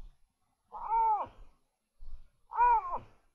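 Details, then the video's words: Iberian lynx calling at the start of the mating season, 30 November 2020: two loud, drawn-out wailing calls, each about half a second, arching up and then falling, with soft rustling between them. "Comenzó el celo y lince"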